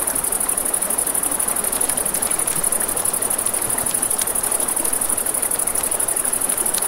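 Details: Crickets calling at night near a river, a sustained high whine with a faintly pulsing rhythm, mixed with frequent fire crackles and the murmur of the stream.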